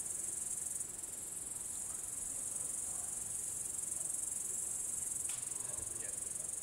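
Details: An upland green bush-cricket (Tettigonia cantans) sings a continuous high, hissing buzz without pause late in the evening at 22:41 on 3 August 2013 in Savonlinna, Finland.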